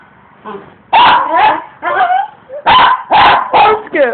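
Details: A pet dog barking while attacking rocks in a yard as its owners work outside: loud harsh barks in quick bursts, some doubled, with short gaps, and a man's voice urging it on just before.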